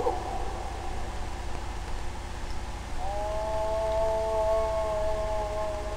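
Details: Spotted hyena, one or possibly two, calling under a heavy low hum; a faint tone at the start, then from about three seconds a clear sustained tonal note that rises slightly and is held to the end.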